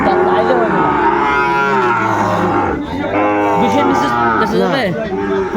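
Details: Sahiwal bull calf lowing at a cattle market visited by Dhaka farmers, 8 May 2024: two sustained, full-throated moos with sliding pitch, the second ending in a rough dip, traders' voices faint behind.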